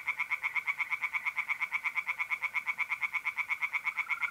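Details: Tree frog calling from a pond on an April night in north-eastern Italy. Close, loud and continuous, a steady stream of sharp pulses repeats about ten times a second without a break.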